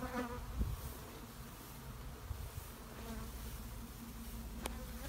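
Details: Honey bees droning in a shed, an even low buzz with a brief louder pass near the start and a sharp click late on.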